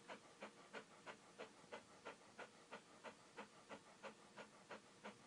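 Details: A dog panting steadily, each breathy burst about a third of a second apart, around three per second, soft and even throughout, with no barking or other voices.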